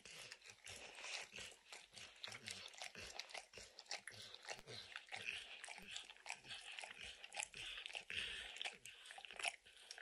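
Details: Max, a dog with a strong love of licking, laps peanut butter and kibble stuck in an orange mat: a quick, uneven run of soft wet clicks and smacks, fairly quiet, with no talking.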